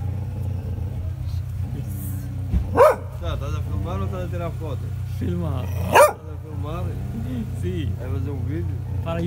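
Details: A strong black hound raised by a café owner in Odivelas, near Lisbon, Portugal, gives two sharp, loud barks about three seconds apart while people chat over a low, constant engine hum.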